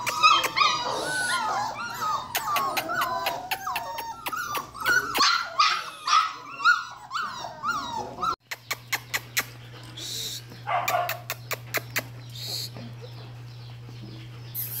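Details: Belgian Malinois puppies at one month old, from a litter of ten (five male, five female), giving a chorus of high wavering whimpers and squeals for about eight seconds, then scattered clicks and handling noise with a steady low hum.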